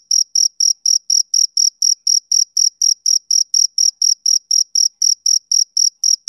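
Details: Male cricket chirping, a sound of summer evenings: a steady run of short, high, clean chirps at about four per second, evenly spaced, with no other sounds.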